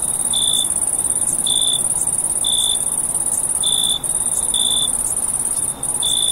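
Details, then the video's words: Crickets calling through a summer night. A constant thin high trill accompanies lower, ringing chirps that arrive in a loose rhythm, roughly every second, with brief dips in the trill. "Cricket Noise at Night"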